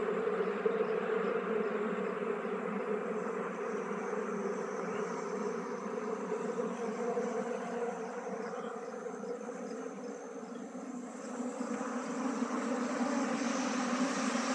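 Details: Honey bees being moved from a traditional log hive into a modern hive during beekeeping: a steady, dense hum fills the whole stretch without a break, with a rough texture that holds at an even loudness.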